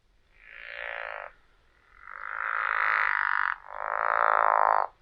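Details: Pickerel frog call played back through a speaker, a low sound likened to someone rubbing the teeth of a saw, unlike a bullfrog; three rasping, snore-like calls, the first about one second long and the next two longer.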